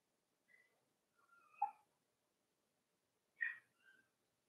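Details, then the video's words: Cavalier King Charles Spaniel puppies playing in an indoor home puppy pen: a few short high whimpering squeaks, some sliding and tonal, separated by quiet gaps. "Cavalier Puppies Live: Puppies Playing"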